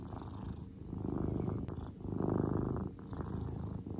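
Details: Grey domestic cat purring while relaxed: a steady low rumbling purr with pulsing waves of loudness that swell and fade roughly every second or two, soft and continuous with no other clear sounds.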